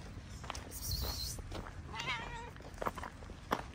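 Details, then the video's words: Homeless street cat in Morocco, tail up and happy to see the person who feeds it, gives one wavering, drawn-out meow midway, amid a brief high insect buzz, footsteps and a man's voice calling to the cats. "The cats came with their tails up because they were happy to see us."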